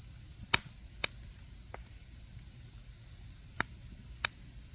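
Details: Continuous high, even insect trill on an autumn night by a campfire at camp, quiet background with four or five sharp wood-crackle pops scattered across the few seconds.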